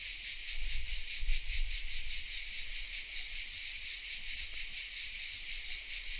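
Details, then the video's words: Cicadas in oaks at Vézénobres, a small village in southern France, recorded with a Sony RX10 M3 camera: bright, grating buzz of a cicada chorus swelling and fading slightly, with low rumbling gusts near the start. "The sounds of CICADAS"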